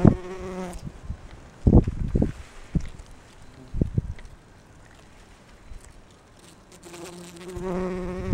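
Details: Bumblebee foraging for pollen among rhododendron blossoms; short bursts of low humming wing buzz at the start and end, separated by several dull knocks and thumps and a quiet stretch.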